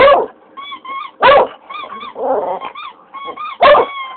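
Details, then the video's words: Pet English Cocker Spaniel reacting to a squeaked toy with three strong barking yelps about a second apart and a short wavering howl in between, the toy's thin bright squeaks sounding in quick pairs throughout. "english cocker howling"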